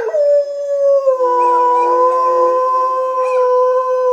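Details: A pet German Shepherd howls in reply to a recording of other dogs howling. It gives one loud, sustained, steady mid-pitched howl rich in harmonics, dipping slightly after the first second and holding for about four seconds, with fainter overlapping howls beneath.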